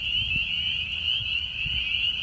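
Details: A very loud, dense spring peeper chorus at Longbridge Park on a 67-degree spring day, high piercing peeps merging into one continuous shrill ringing.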